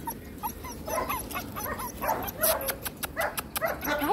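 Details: Two male German Shepherds, Shannara and Steel, one a white long coat and one black and cream, whimpering in short, high, wavering whines that come in quick bursts while a person talks softly nearby.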